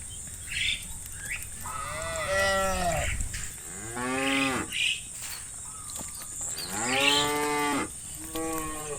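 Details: Cows roaming pasture fields calling their friends to come home to the barn: four drawn-out, harmonic moos rising then falling, with bird chirps behind and a steady high hiss.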